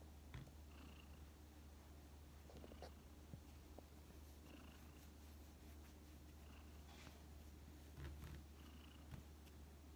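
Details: Tsuyoshi, an old feral community cat with suspected kidney failure, taken in to spend its final days indoors after collapsing in summer 2019. A steady low purring rumble runs throughout a quiet room, with faint short high chirps recurring.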